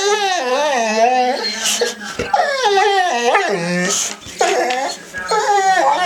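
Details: Rocky, a two-year-old pet boxer desperate to draw, fills the moment with continuous, howling whines. They waver and glide up and down, with little yips at the end. Someone's voice mixes in now and then.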